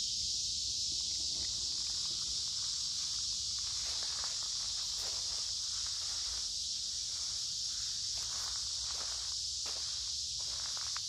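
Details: Noisy cicadas singing in woods by a creek in the middle of summer, warm and humid: a relentless high buzzing drone, while crunching footsteps and rustling leaves come and go.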